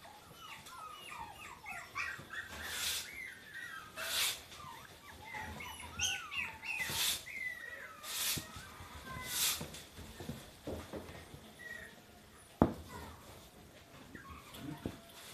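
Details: Lively female Golden Retriever making many high, wavering whines and squeaky yelps that rise and fall in quick runs. Loud broadband thumps and rustling bursts from handling break in throughout, with one sharp knock near the end.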